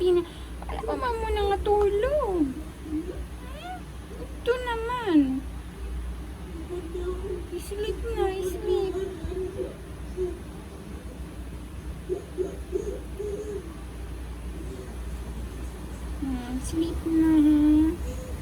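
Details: Sleepy female domestic cat throwing a tantrum indoors: wavering, drawn-out meows with strong falling and rising pitch bends, clustered early and again near the end, with a person's voice in a small room.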